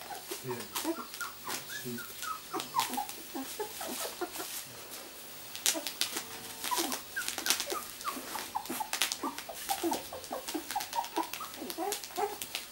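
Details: Two-week-old miniature Labradoodle puppies born 31 July 2009, indoors in a small room: many faint, high, short squeaks and whimpers scattered throughout, overlapping one another, with rustling and clicking handling noises.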